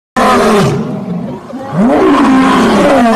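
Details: Lion. A lion roars in loud, throaty bursts, each rising then sliding down in a rough, resonant groan. Two heavy roars fill the short stretch, with a brief quieter pause between them.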